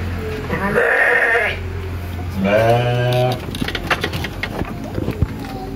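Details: Tame village-farm sheep in Indonesia bleating for food: two wavering bleats close together, the second lower and shakier, followed by clicking and knocking noises against a low hum.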